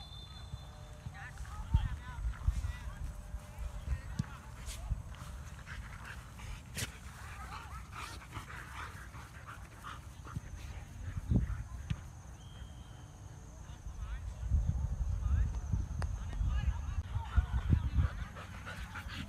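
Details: Siberian Huskies out running for exercise in a field, giving excited whimpers, panting and a few short barks in irregular bursts, with people talking throughout and a steady low outdoor rumble.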